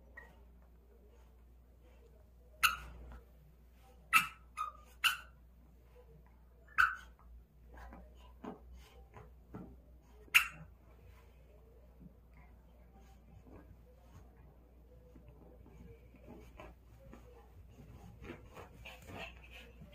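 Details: An excited dog playing with a ball gives about five short, sharp barks spaced over the first ten seconds, followed by softer whines and scuffling noises in a quiet room with faint background hiss.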